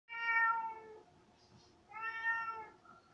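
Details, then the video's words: Domestic cat indoors giving two clear, drawn-out meows about a second apart, each tonal and rich in overtones, the first steady then falling, the second slightly rising then fading; quiet room otherwise. "Meow Meow"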